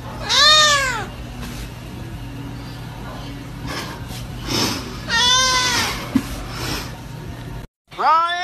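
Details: Cat in a funny compilation of cute cat videos giving loud, drawn-out meows that rise then fall, one early and one about four seconds later, with a third starting at the end; a low steady hum throughout.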